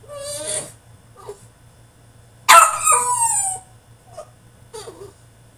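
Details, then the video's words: French Bulldog throwing a tantrum in his cage: a drawn-out whine, then a loud wavering yelping howl, with faint short whimpers between, over a steady low electrical hum. "FRENCH BULLDOG THROWS TANTRUM IN HIS CAGE!!"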